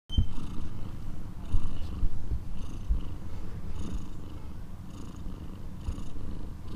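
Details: Purring from a street cat with kittens that are calling for their mother's attention so she stays and keeps protecting them: a steady low rumble in pulses about twice a second, with faint brief higher sounds above.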